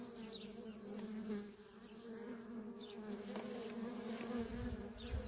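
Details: Steady hum of many worker honey bees coming and going at a wild feral colony, low droning buzz throughout, with a brief rapid high ticking pulse near the start and passing bees flying by.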